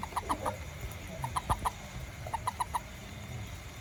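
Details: A small toad out after rain, hunting ants around a home and garden, gives quick bursts of short, clucking notes, three or four at a time, repeated every second or so.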